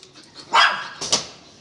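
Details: Belgian Malinois Weapon lets out a quick, harsh double bark while being given the command "inside".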